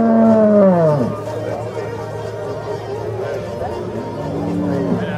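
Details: Holstein cow in the show judging ring at Viehschau Zürcher Unterland, Switzerland, 26 April 2014: a strong moo sliding downward in the first second, then a softer lowing call near the end amid murmuring spectators.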